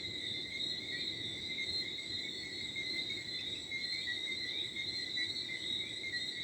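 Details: Countryside crickets in Martinique at 4 a.m. on 11 December 2023, filling the night with a continuous shrill chirping chorus in layered high bands, steady and unbroken, with faint light wind beneath.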